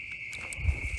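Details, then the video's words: Crickets sound very loud at night on July 30, 2021, in a wooded ravine at Kay's Cross, Utah. A steady, unbroken, high-pitched trill runs throughout, with low rumbling and faint footstep-like thuds beneath. "But the crickets are insane tonight. Like, listen to this, you guys."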